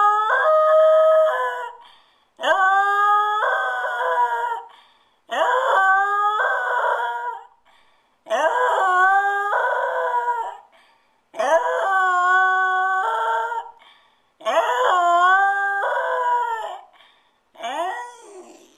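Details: Stewart, a spoiled dog left home alone for ten minutes, howls repeatedly in a small room: about six long wavering howls, each rising then holding, spaced roughly every three seconds.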